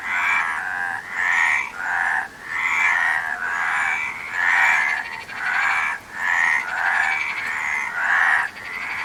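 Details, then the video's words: Repeated frog croaks arrive as grating, pulsed bursts about every second, some bursts carrying a brighter whistled edge, forming a continuous rhythmic chorus. "Frog Sound"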